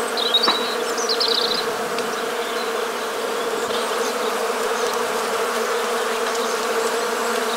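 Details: Western honey bees give a steady, low droning hum in the Morbihan countryside, Brittany, on 1 January 2022 in winter, with a few brief high bird chirps at the start.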